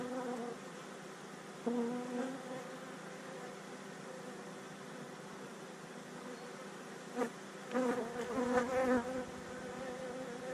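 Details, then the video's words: Honey bees exposed during removal of a colony from a narrow wall cavity and chimney stack in West Sussex, 2019; a steady low buzzing hum with louder swells of rising and falling drone near the end. "Live Honey Bee removal"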